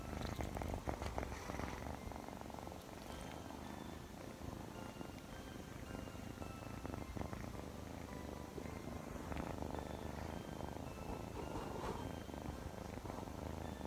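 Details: Chloe, a Scottish Fold kitten, playful and affectionate, purring indoors: a steady low rumbling purr runs throughout with soft pulsing texture, while faint thin tones float above it.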